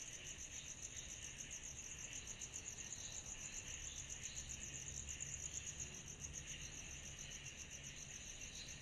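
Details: Cicadas on a summer night produce an unbroken, fast-pulsing shrill chorus, a high band over a softer lower one that waxes and wanes slightly, with distant low rumble underneath.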